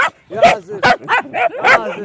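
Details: A dog gives a series of five or so short, tonal whining barks with bending pitch, spaced about every 0.4 seconds, with faint room sound between them.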